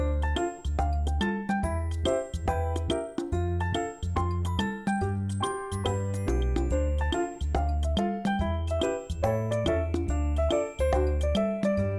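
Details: Bright, tinkling children's-style music with bell-like notes and a bouncy bass line plays throughout, with no animal sounds.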